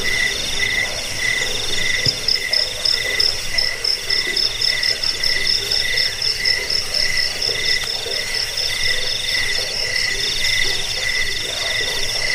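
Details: Crickets chirping, offered as a sound to repel rats, lull listeners to sleep and train songbirds; steady overlapping high pulsed trills in several bands, pulses repeating through the whole stretch with a faint low rumble beneath.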